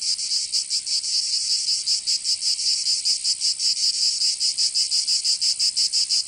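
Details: Summer cicadas in Provence, in the south of France, make a high, sizzling drone that swells and dips in rapid rhythmic pulses throughout, without pause or other sounds.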